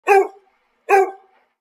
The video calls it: Dog Barking